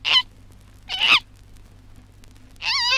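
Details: Baby koala about six months old, recorded in Australia in 1968. Three short, high, squealing cries with wavering harmonics, the last one longer and bending in pitch, with quiet pauses between them.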